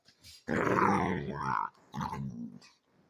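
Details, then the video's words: Playfully ferocious pet dog indoors lets out a long, throaty rumbling growl lasting about a second, followed by a shorter, lower grumbling growl. "Sophie is ferocious! What does she sound like?"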